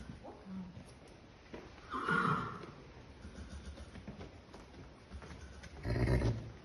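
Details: Young male Irish Draught Sport Horse, a colt by Aye Aye Skipper RID, utters two brief harsh whinnying bursts roughly four seconds apart, the first brighter and higher, the second lower and rumbling, with quiet shuffling between.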